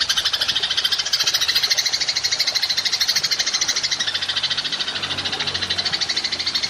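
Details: High, fast rattling trill from a golden grasshopper, recorded to train songbirds, pulsing rapidly and continuously with no pause, bright and dry in tone.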